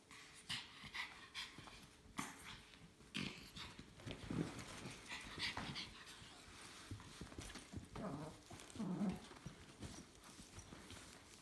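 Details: Dog with a new carrier, giving low, short whimpering and growling sounds near 4 and 8 to 9 seconds amid steady rustling and scraping clicks, with a faint constant hum in the background.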